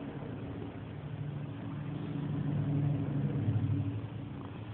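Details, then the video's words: Loud purring from Purdy, a female house cat known for pushy rubbing; a continuous deep throbbing rumble that swells in strength toward the end, no other sounds. "Purring Purdy"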